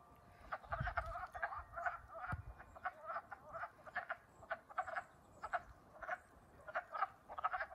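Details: Wood frogs, just woken in spring at Middlesex, Vermont, on April 7, 2020, call in a chorus of short, hoarse, duck-like clucks repeated rapidly.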